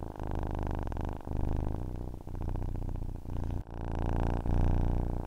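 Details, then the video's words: A domestic cat purring steadily, a deep, rumbling, even drone broken by short breath pauses at uneven intervals, with one brief sharp click near the middle. "Ronronnement d'un chat pour s'endormir / Purring of a cat to fall asleep"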